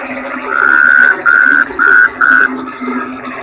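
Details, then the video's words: Four evenly pitched notes from a bangkong toad, each under half a second with short gaps, rising out of a constant low chorus background. "Suara Kodok Bangkong"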